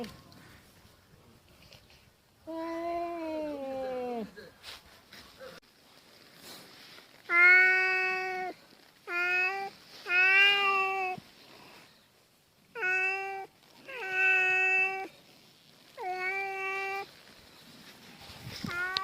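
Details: Domestic cats squaring off indoors, an orange cat yowling threats before backing down; a falling drawn moan, then several sustained, tonal growling yowls of rich harmonics, separated by short pauses.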